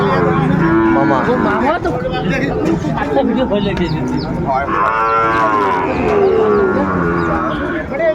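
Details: Sahiwal bull calves for sale at a cattle market in Manikganj, Bangladesh, 30 December 2024; two or three separate moos, one near the start and a longer arching one later, rise above loud crowd chatter.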